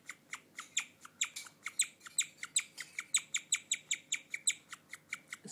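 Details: A female pet guinea pig indoors chirping like a bird, an unusual behaviour: a rapid, fairly steady series of sharp, high, bird-like chirps, roughly four per second, each a quick bright tweet, with no other clear sounds.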